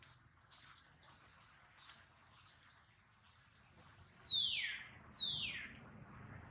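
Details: Baby monkey Duke, hurt in a failed catch of his mother Duchess, who worries over him; soft scattered clicks and rustles, then two loud high screams sliding downward in quick succession.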